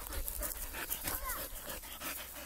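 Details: Labrador Retriever breathing in rapid rhythmic pants, each a short airy burst roughly every quarter second, over a constant low hum with a faint brief squeak midway.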